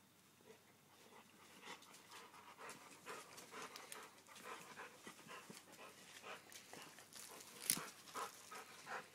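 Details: Labrador Retrievers Toby and Bella playing on dirt where renovations are taking place; quick breathy panting puffs repeat about twice a second, soft and rough, with a brief louder scuff near the end.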